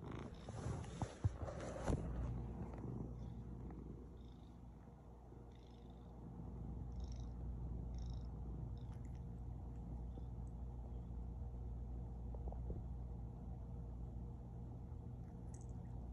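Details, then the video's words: Domestic cat purring late at night while kneading, a steady low rumble throughout, preceded by a brief rustle and a few faint clicks near the start. "Cat Late Night Biscuit Making (ASMR)"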